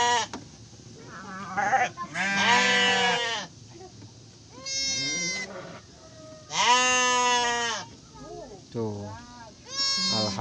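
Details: Repeated bleats from Garut sheep around a ewe giving birth to triplets; loud, tremulous calls every couple of seconds, alternating long and short, with softer voices in the gaps.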